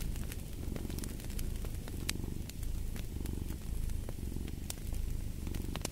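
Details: A cat purring next to a crackling fireplace: a low, steady rumble that swells and eases in about one-second breathing cycles, overlaid with sharp pops and snaps from the fire.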